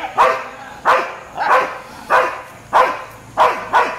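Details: Street dogs barking at a Labrador: seven sharp, loud barks in four seconds, coming roughly every half second at a fairly steady pace, with a faint low background hum.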